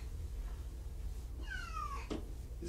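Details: Kitten indoors, one of five from two litters surrendered in Tacoma, giving a single thin descending meow lasting about half a second over a low background hum, followed by a faint click.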